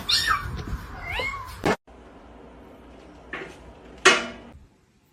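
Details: Cat in a funny-cat compilation giving a short, wavering meow at the start, then a quiet stretch broken by two sharp thumps or knocks.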